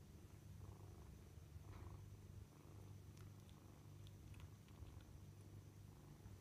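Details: Kittens at dinner time indoors, a steady low rumbling purr running continuously throughout, with a few faint higher clicks and a soft thin background whine.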